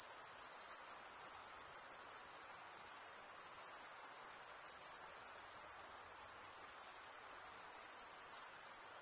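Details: Cricket chirping, the stridulation sound, forms a constant shrill ringing trill at even loudness, many insects blending into one seamless high tone.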